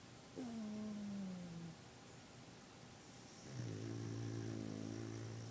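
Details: A napping Boston Terrier snores with two drawn-out, low, droning breaths that have a nasal, tonal quality.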